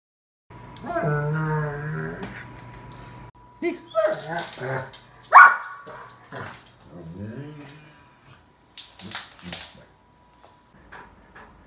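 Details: An 11-month-old Bernese Mountain Dog talking to family members: a drawn-out, wavering moaning call held for about three seconds, then shorter yowling bursts mixed with people talking and laughing nearby.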